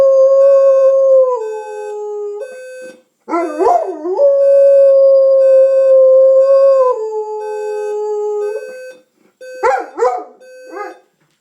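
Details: Pet dog Junior howls at an alarm clock so his owner wakes on time. Long sustained howls step down in pitch, broken by swooping wavering phrases, over a steady electronic alarm beep.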